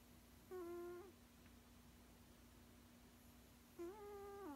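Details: A dozing sixteen-year-old male cat lets out two droning, hum-like snores, the first short and level and the second longer and slowly falling. A steady low background hum runs through the recording.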